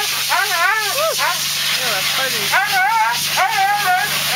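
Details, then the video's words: Siberian Husky named Thunder crying and howling while being groomed; long wavering, yodel-like whines that rise and fall in pitch, several drawn-out phrases with rich harmonics and a steady background hiss. "Cry Baby Husky"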